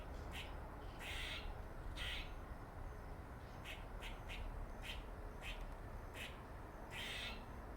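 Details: A squirrel's funny noises: about a dozen brief, scratchy, clicking bursts, some doubled, coming in an uneven series over steady low background rumble.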